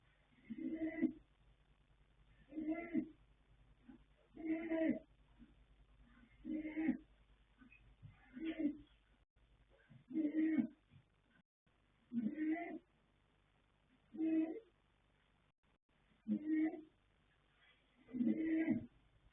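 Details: Colt foal Yanta, born 21 January 2026 to Fast Force and Pink Blossom, snoring in his sleep: about nine coarse, rumbling snores repeating every two seconds in a steady, slightly uneven rhythm, with quiet room background.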